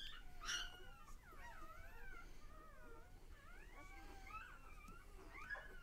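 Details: A litter of newborn pups, one day old, gives a steady stream of thin rising and falling squeals, several voices overlapping with little pause, over a soft background hiss.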